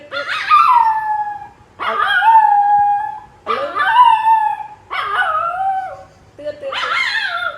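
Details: Loyal dog staying close beside its owner as she relaxes in a hammock; five drawn-out, tonal whining howls, each starting high and sliding downward, roughly one every one and a half seconds with short pauses between.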